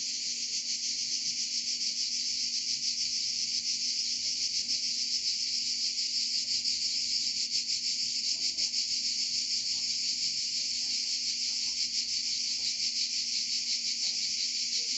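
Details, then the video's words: Continuous cicada song in Provence, a bright, hissing, rhythmically throbbing buzz sustained at even loudness for fifteen seconds. "Chant des Cigales en Provence"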